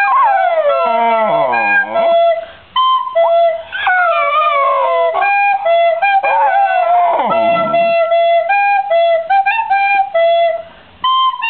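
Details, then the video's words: A female fox terrier howls in sliding, wavering notes that dip and rise, singing along to steady recorder tones. "My dog Singing"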